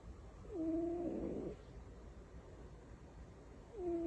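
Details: While asleep and tucked in like a baby, Butters the cat lets out one steady, humming snore of about a second, with the next snore just beginning after a long silent pause.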